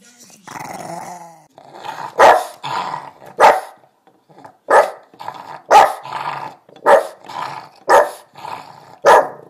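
A Boston Terrier barks in short, sharp bursts, with low grumbling between the barks.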